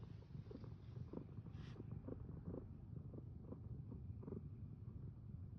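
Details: Comforting domestic cat purring, presented as lofi ASMR; a steady low rumbling purr with soft rhythmic pulses about twice a second, very quiet throughout.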